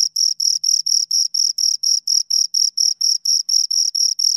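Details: Two crickets give bright, high, scraping chirps in quick even succession, about four pulses per second, with silence between beats.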